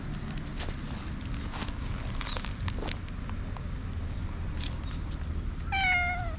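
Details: Black stray cat tickled outdoors at night, filmed on a GoPro: mostly low background rumble and rustling, with one clear falling harmonic meow near the end.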